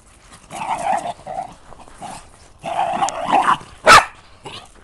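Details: Excited pet dog going crazy, letting out loud, harsh barks mixed with growly, rasping vocal bursts in several clusters, ending with one sharp, loud yelp near the end.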